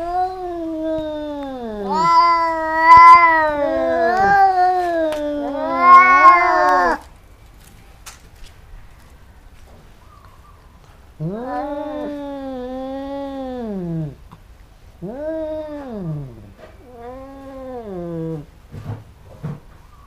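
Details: Two cats fighting, biting each other again and again; long drawn wavering yowls with rich harmonics, rising and falling, in two bouts separated by a quiet pause, ending with short growls.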